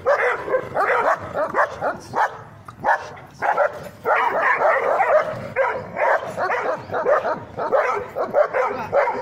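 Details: Barking from an Afghan Kuchi squaring up to a German Shepherd and a Labrador, with dense bursts of loud overlapping barks and yips, a brief lull near three seconds, then continuous clamour from multiple dogs.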